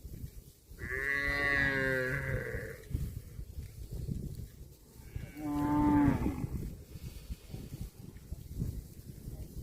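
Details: Cows feeding on grass moo twice, first a steady harmonic low of about two seconds, then a second call that rises and bends to a strained tone, over constant low background noise.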